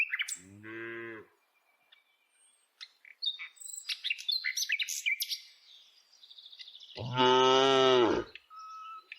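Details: Herded each day, dozens of tame village cows walk along; a short moo opens, then busy bird chirping and twittering, before a second, louder and longer moo near the end.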